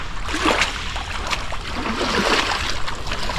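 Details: Steady outdoor noise with water-like splashing and broadband rumble, no animal calls standing out.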